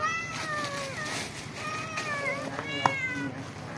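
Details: Cats and kittens living in a home call at feeding time, happy to eat together; a run of overlapping, bending meows with clear harmonics, one after another, over steady room noise.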